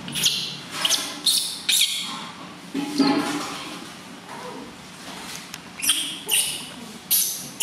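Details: Newborn baby monkey at its first bath, washed gently by its new mother, cries loudly in uneven runs of high, rasping squeals with brief pauses between groups; faint voices murmur underneath.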